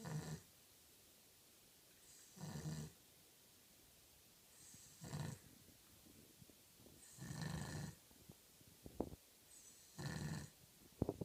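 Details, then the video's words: A sleeping Cavalier King Charles Spaniel, said to sleep like a human, snores with rough, breathy bursts, five snores coming about every two and a half seconds, with soft clicks and rustles between them. "snoring Cavalier King Charles - sleeps like a human!"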